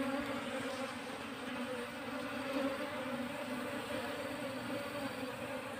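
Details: Wild Asian honey bees being moved into a cultivation hive box: a dense, steady buzzing hum with a low droning tone and layered tonal bands that never break, with a soft hiss above.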